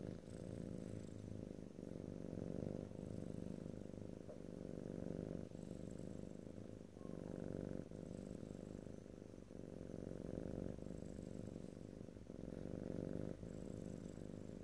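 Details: Continuous low purr from a pet cat, recorded ear to ear in stereo without speech; the rumble swells and breaks roughly every second and a half, with a few soft clicks between breaths.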